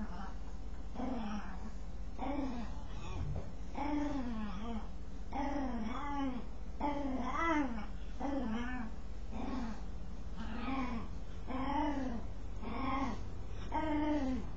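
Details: Dog producing unusual noises while scratching: a long run of short, arching, whiny moans, some in quick pairs, continuing steadily with brief gaps and a soft thump early on.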